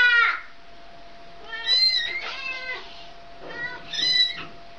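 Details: Mother cat meowing repeatedly: three or four clear, tonal meows spaced roughly a second apart, some rising then falling, with a faint steady hum in the background.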